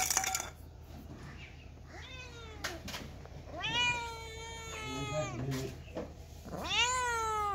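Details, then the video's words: Kittens and cats giving drawn-out meows, one rising then falling in a long arc, another overlapping call lower in pitch, and a final rising meow near the end; brief clicks and soft low rumble underneath. "Very Funny Cats and Kittens Meowing Sound Effects Part 7 | Cat Sound | Cats Meowing"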